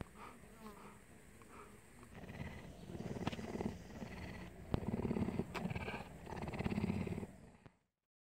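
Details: Cougar kept at a safari park in Primorye, Russia, giving a low, rumbling purr in rhythmic pulses that swell and fade over several seconds, with faint background rustling.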